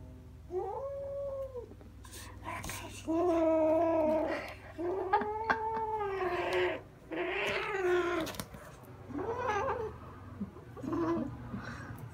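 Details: Kitten indoors that has taken a liking to a fluffy fur toy, growling and refusing to let go while running about; long, harmonic, wavering growl-moans in several drawn-out bursts, with soft thumps of movement underneath.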